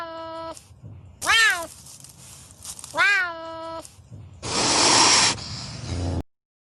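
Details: Pampas cat of Argentina calling. Several tonal, rising-and-falling meows are followed by a loud, rough, breathy hiss lasting nearly a second, with faint low rumbling behind.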